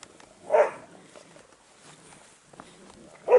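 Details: Day-47 Airedale Terrier puppies from one litter give two short, sharp barks, one early and one at the very end, with soft shuffling and low rustle in between.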